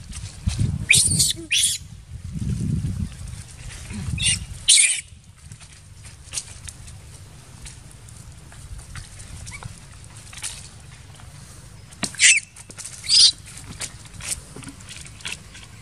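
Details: Baby monkey crying after being attacked by another monkey. Sharp, shrill screeches come in short bursts near the start and again toward the end, over low rumbling voices early on and a quiet outdoor background.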